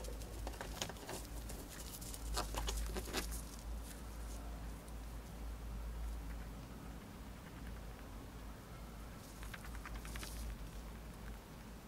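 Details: Female pet hamster chewing dried corn indoors. Bursts of quick, crisp crunching clicks cluster early and again near the end, separated by quieter stretches of low hum and soft rustling.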